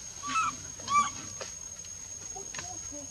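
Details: Baby monkey crying as its mother pushes it away and refuses it milk, Bayon area; two short, wavering, high-pitched cries close together at the start, then fainter low murmurs and soft background noise.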